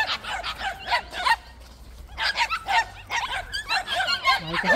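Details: White puppies at a plum orchard bark in quick high yaps, a burst at the start, a short lull near two seconds, then another overlapping flurry from several dogs.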